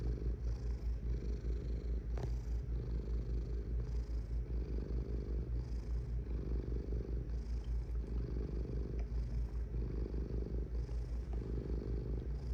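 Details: Domestic cat purring: a continuous low throaty rumble that rises and falls in steady breathing cycles, louder on alternate phases, with a brief click near the start.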